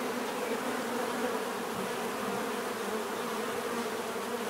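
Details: Bees heard as a thick continuous buzz, steady low drone with little variation over a few seconds.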